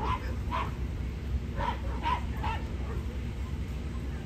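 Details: Corgi bitch competing for Best of Breed at a Niigata Prefecture club show, 11 June 2022; five or six quick yapping barks within the first two and a half seconds, then quieter, with constant low indoor rumble.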